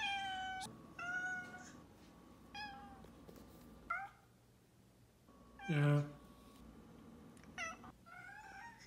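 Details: A pet cat meowing repeatedly indoors: several drawn-out, tonal meows with rich harmonics, some rising then falling, spaced over several seconds, with a louder, lower bleat in the middle and a steady background hum.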